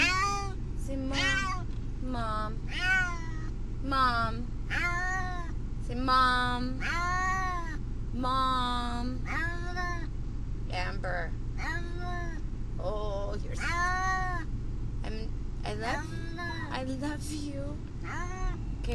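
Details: Brutus the Beefcake, a pet cat riding to the vet and upset, gives a steady series of drawn-out, bending meows, some doubled, over constant low car noise, with a person's voice now and then.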